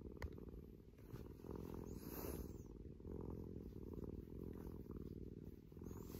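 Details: Affectionate rescued cat Maro, regressing to kitten-like clinginess in a dedicated upstairs cat room, gives a deep even purr, pulsing steadily throughout, with a brief soft rustle near the middle.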